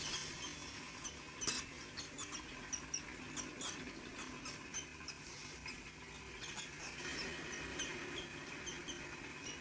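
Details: Indian palm squirrel (Funambulus palmarum), chirp.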